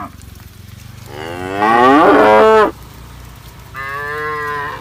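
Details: Tame cow grazing on green grass gives a loud, harmonic-rich moo rising then falling over about a second and a half, followed by a shorter, softer second moo after a brief pause.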